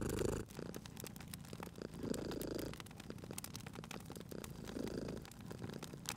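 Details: Cat dozing by a crackling fire in a cozy spring room, purring in soft rhythmic waves that rise and fall with its breathing, overlaid by bright crackles and snaps from the burning logs.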